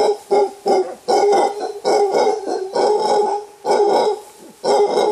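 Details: Wild mantled howler monkeys, a large clan climbing through thick bamboo forest in Costa Rica, with an alpha male giving a warning roar: loud, hoarse, rasping bursts repeated in rapid, irregular pulses, each about half a second long.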